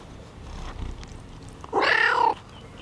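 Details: Domestic cat giving a single loud meow about half a second long, harmonic and slightly falling at the end, after a quiet stretch with faint rustling.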